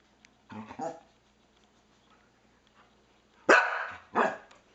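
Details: Norwegian Elkhound kept as a pet, barking at a game console pointer; a muffled low bark-growl, a silent stretch, then two loud harsh barks close together near the end, with a person's voice also present.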